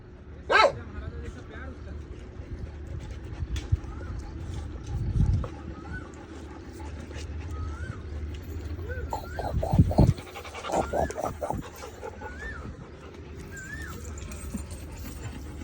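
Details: Pet Labrador Retriever making odd whining noises while getting scratches, short rising-and-falling whimpers repeated through the second half, mixed with human speech and a few sharp knocks.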